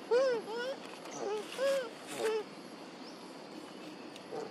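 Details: Monkey mothers Duchess and Queen crying out for their missing baby Quinton: a run of arched, harmonic-rich wailing calls, each rising then falling, about five in quick succession over a few seconds, against a faint outdoor background.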